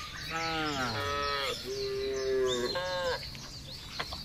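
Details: Herded village cattle roaming loose on broad open pasture: overlapping moos from more than one animal, one rising then falling, another a steady drawn-out low tone, with birds twittering faintly behind.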